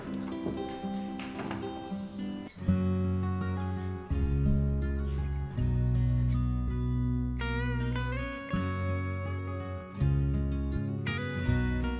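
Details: Acoustic guitar music with strummed and plucked notes plays throughout, with no animal sounds.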